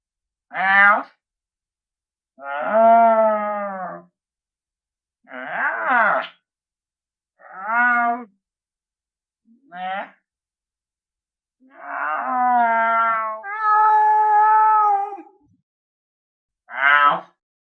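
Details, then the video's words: Lynx calling: eight separate moaning, wailing meows, some short and sharp, others drawn out for about two seconds with a wavering, tonal quality, each separated by silence; no other sounds present. "SOM DE LINCE"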